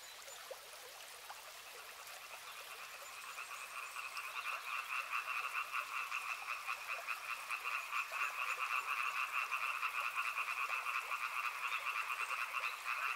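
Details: River frogs start faintly and swell into a loud, dense chorus of pulsed trills after about four seconds, holding two clear pitch bands over steady running-water noise.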